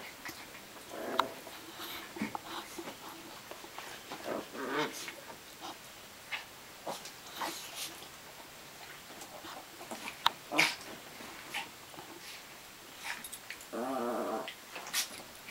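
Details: Two-year-old Chihuahuas fighting it out on a bed, irregular scuffles and snaps with a sustained buzzy growl near the end, and a woman's voice in the room.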